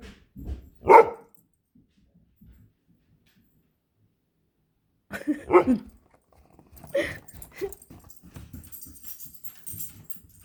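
A Great Dane and a Standard Poodle make brief, throaty yelps and half-howled moans in separate bursts, with quiet gaps between. Faint indoor background noise follows the last calls.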